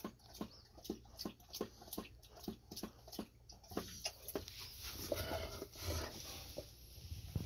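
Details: Golden Retriever drinking after a walk, Ibuki or Kohaku at home: sharp regular lapping splashes about every half second for four seconds, then a softer, washier stretch of water noise.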